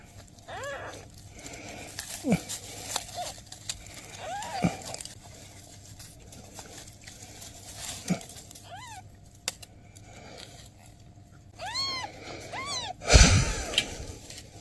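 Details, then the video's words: Newborn kittens with their mother cat, who is asking for help; scattered thin high arched meows in short bursts, a quick series near the end, with handling thumps and background noise. "Mother cat ask for help! Newborn kittens meows"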